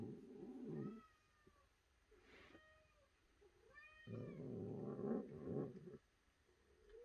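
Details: Domestic cat giving a few short, arched meows with clear overtones between bursts of loud low rumbling noise indoors.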